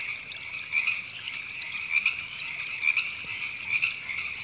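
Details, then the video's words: Many frogs, described as river frogs, calling in Temescal Canyon Park, Los Angeles, California, in April 2017: a dense, steady chorus of overlapping mid-high rasping croaks, with a few short, high chirps rising above it. "Frogs Ribbits"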